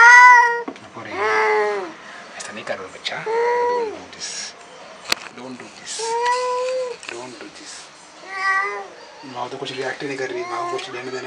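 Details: Angry black cat meeting a new cat for the first time: long, wavering yowls rise and fall in drawn-out wails, repeated in several bouts with short breaks and brief sharp sounds between them. Quiet human speech is also heard.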